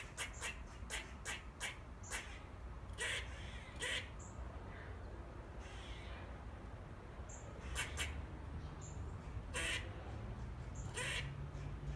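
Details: Grey squirrels chatting to each other in the trees of a back garden: bursts of sharp, clicking chucks, some in quick runs and others single, spread across about twelve seconds over a low background rumble.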